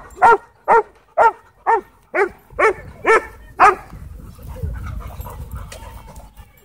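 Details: Husky playing with other dogs at a dog park; a steady series of eight sharp barks roughly two per second, then fading into low rumbling background noise.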